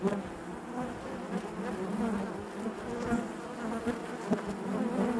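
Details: Honey bees buzzing inside their hive: a dense, steady drone centred low with wavering overtone bands, individual wingbeats swelling and fading over the continuous hum.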